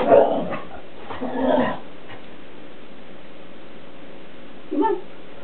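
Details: Shelties playing in the house with a cat toy as the cat dodges; Krystal, aged ten, is the more active of the two dogs. Rough, drawn-out vocal bursts open the clip, then a short bark follows after a pause.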